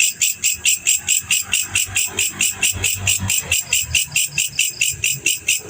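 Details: Male black cricket (jangkrik jantan) chirping in a fast, steady rhythm, more than two bright, high-pitched pulses each second across the whole stretch, with a faint low hum underneath.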